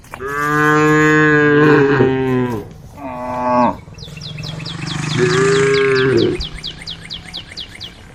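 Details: A tame group of female cows returning to the cowshed with a cowherd gives long, drawn-out moos with a rich harmonic tone, one after another.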